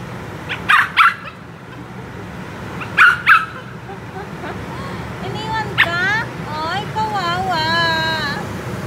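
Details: Black poodle puppy crying after being left by another, giving a run of high, wavering whimpers that rise and fall, preceded by a few short sharp yips near the start; a woman speaks over it.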